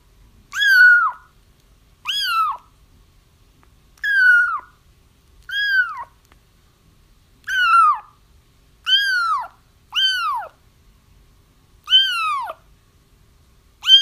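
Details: Crying kittens meant to draw a feral mother cat toward a trap, calling in clear, harmonic-rich mews that bend up and fall away, spaced every one to two seconds against near silence.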